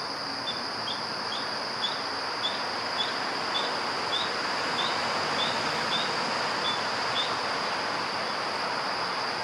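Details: Spring peepers, frogs about 30 mm long, at Pyramid Mountain Natural Historic Area, Morris County, New Jersey, give short, high, rising peeps, repeated rapidly over a steady background hiss.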